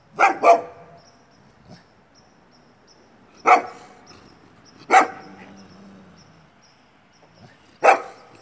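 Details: Great Pyrenees, Moose and Molly, barking: a quick double bark, then single loud barks spaced a few seconds apart, five in all.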